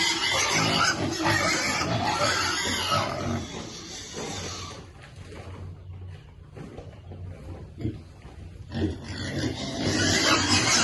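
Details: A baby piglet waits to eat: loud squealing and grunting for the first four seconds, a quieter lull with low grunts in the middle, then the harsh squeals surge back near the end.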